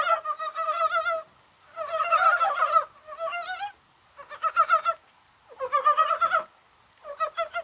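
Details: Dybowski's brown frogs in Korea calling during rain on 21 January. Bursts of dense, quick-pulsed chuckling, some lasting over a second, alternate with brief silences.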